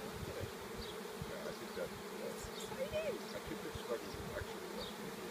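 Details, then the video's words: Swarm of bees that fell from a tree, inspecting the spot where the queen landed; dense continuous buzzing hum with flickering louder passes of individual bees close by. "Baji's Swarm"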